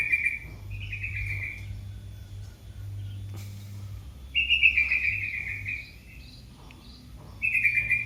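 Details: Baby cat calling its mother with repeated high mews, each roughly a second or longer and gently falling in pitch, separated by short pauses, over a constant low hum.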